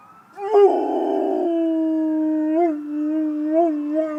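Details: Howling Rottweiler responding to ambulance sirens, one long drawn-out note starting with a rough, breaking onset, then settling into a smooth steady tone with small wavering rises near the end.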